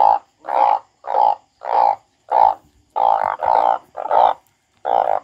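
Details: Crying frog gives loud, bleating, nasal cries in a fast series, about nine short bursts in five seconds, each steady in pitch and separated by brief silences.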